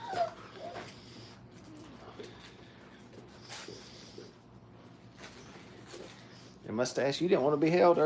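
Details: Brittany puppies, five weeks old, learning crate training in a kennel: quiet room noise with faint murmurs, then a sudden rise into loud, wobbling, overlapping whines and yelps during the last second and a half.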